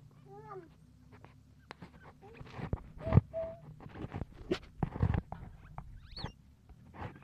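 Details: During the birth of a Lombok civet crossed with a pandan civet, it gives brief, thin, reedy squeaks in small bursts, some wavering, and quick rising chirps, over rustling, tapping, clicks and a low hum.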